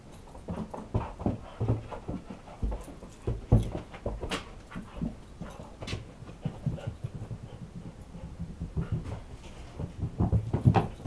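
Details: Ganja, a Siberian Husky, playing catch with a ball on a staircase indoors; steady rhythmic panting and soft whimpers throughout, broken by sharp knocks of the bouncing ball on the stairs.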